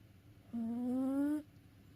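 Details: Worn out from play, a sleeping house cat gives one steady, nasal, humming snore lasting almost a second and slowly rising in pitch, with near silence before and after.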